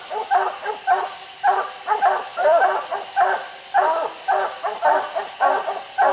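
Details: Hunting dogs barking at raccoons treed up a steep, slick hillside, with several coons seen in the trees; loud, steady barks repeated nearly twice a second from more than one dog, with faint hissing noise above.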